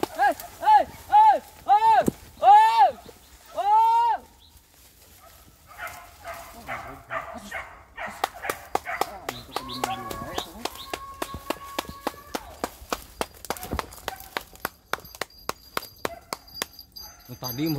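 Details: Village dogs chasing wild boar during a pig hunt: five loud, arched yelping barks in quick succession over four seconds, then crackling brush, rustling and sharp clicks as the chase moves on.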